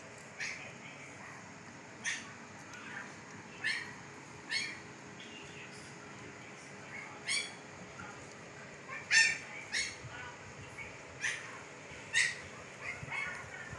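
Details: Siberian Husky puppies, 15 days old with eyes just opened, in Pakistan: short high squeaks and whimpers come in scattered bursts about every one to two seconds, some mixed with sharp clicking or rustling noises, over a steady low hiss.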